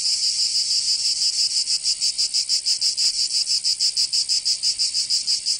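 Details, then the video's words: Cicadas singing in summer in Provence, southern France: a dense, loud buzzing chorus high in pitch, pulsing rapidly about three times a second with steady rhythmic throbs, no other sounds. "Canto Cigarra 🦗 [ Escuchar les cigarras en verano 10 H]"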